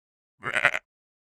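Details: Sheep giving a single short baa, a wavering bleat of about half a second with rich harmonics, set in complete silence.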